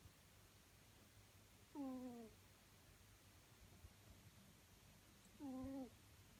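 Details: A sleeping pet ferret snoring loudly in the morning: two short, tonal, whine-like snores with a slight downward bend, about four seconds apart, over a quiet, low room hum.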